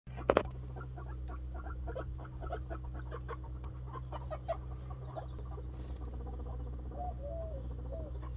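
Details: Guinea pig boar Ragnar being introduced to Snow, a white sow: rapid clusters of short, clicking mid-pitched pulses run throughout, with a few upward squeaks near the end, over a steady low electrical hum.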